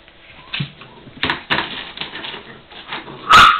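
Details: Seven-week-old puppy siblings playing hard together in a puppy area, giving short whimpers and yips with scuffling between, then a louder sharp yelp near the end.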